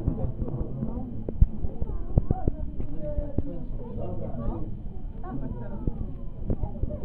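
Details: Massed South African fur seals produce a throaty, pulsing chorus of low groans and rising bleats, punctuated by several sharp slaps or knocks.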